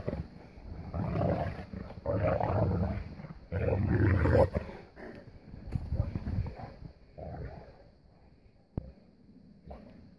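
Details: Three Boerboels, two adults ganging up on their son, play fighting in the snow in 2016: deep, rough rumbling growls in dense bursts through the first five seconds, then quieter intermittent grumbles and scuffling.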